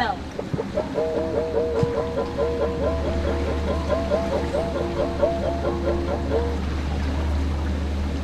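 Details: Whistling walrus giving a rapid series of curling, wavering whistled notes, roughly three per second for about five seconds, with harmonics stacked above, over a steady low engine hum and lapping water.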